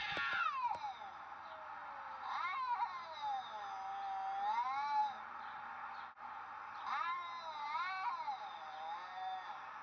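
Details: An apparently confused Siamese cat gives long, wavering, rising and falling yowling meows.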